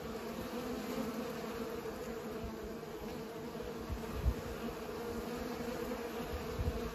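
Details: Bees at work pollinating flowers, their constant humming drone steady throughout, mixed with low rumbling gusts and a couple of short thuds toward the end.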